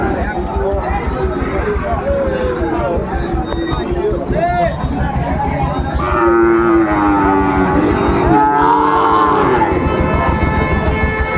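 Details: Sahiwal bull calves at Amabari cattle market (haat) on 13 January; drawn-out harmonic moos rise out of the crowd noise mid-clip and again near the end, over constant chatter, bargaining voices and market hubbub.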